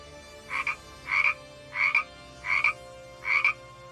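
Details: Frog croaking: five rasping, double-pulsed croaks, roughly one every two-thirds of a second, over faint steady background tones.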